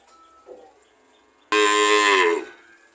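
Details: A cow lets out one loud, brassy moo about a second long, pitch bending gently upward toward the end, after a quiet lead-in with faint background sounds.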